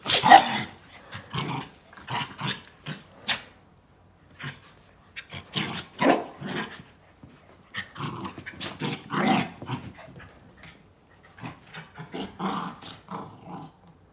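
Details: Indoor dog making rough, monster-like growling sounds. Short, harsh, noisy bursts come in irregular clusters with quiet gaps between them.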